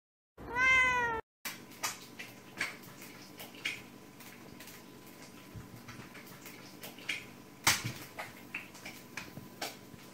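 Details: Female orange tabby domestic short-haired cat, playing indoors while eggs are fried: one loud, drawn-out harmonic meow near the start, followed by a series of sharp clicks, taps and clattering kitchen noises.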